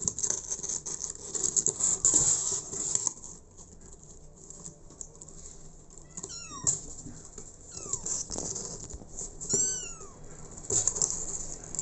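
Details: An abandoned kitten, adopted by a mother cat, gives a string of thin, high, arched meows about 6 to 10 seconds in. The cries are short and falling, heard over steady hiss and rustling.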